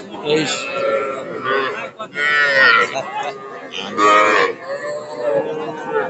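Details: Young cattle, small bulls and heifer calves with Sahiwal bull calves, at a cattle market in Narail on 18 May 2024. Drawn-out harmonic moos rise and fall amid loud bargaining voices and crowd chatter.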